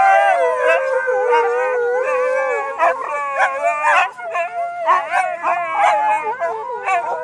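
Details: Siberian husky howling while singing along with its family on a Sunday; a long sustained howl slides slowly downward, then breaks into shorter wavering, rising and falling howls mixed with human voices.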